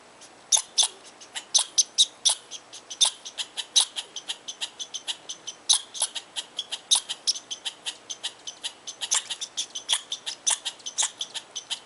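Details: Very vocal angry squirrel of Tahosa Valley, scolding someone near its tree, keeps up a nearly nonstop, rapid chatter of sharp, high-pitched chips of varying loudness for about twelve seconds.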